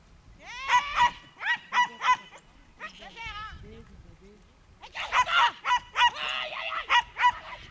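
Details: Herding course, September 2010: a young Schipperke barks in short, high-pitched runs, two bursts of quick yaps separated by a quieter stretch of rising and falling whiny calls.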